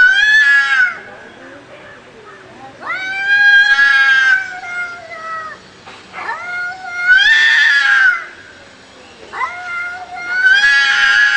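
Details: Cats fighting with loud, drawn-out yowls that rise then hold steady, roughly four howls with quieter gaps between, harsh gritty edges on the later ones.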